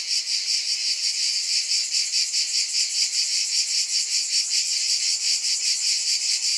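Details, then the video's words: Loud high-pitched cicada buzz from many insects at once, a ringing hiss that beats in soft regular waves about every half second. "Scintillating Cicadas"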